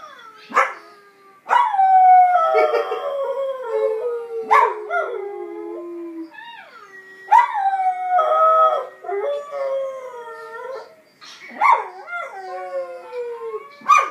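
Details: Pet Kelpie Mira gives repeated howls, each starting high and bending downward into drawn-out, quavering tones, with brief yips between bouts and almost no background sound.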